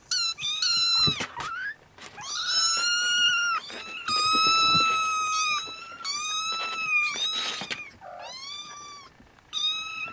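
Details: Restless Siamese kittens with their mother cat at nap time, one litter waking siblings before nursing; loud, drawn-out high mews follow one another almost continuously, overlapping, each with a steady tone and a slight fall at the end.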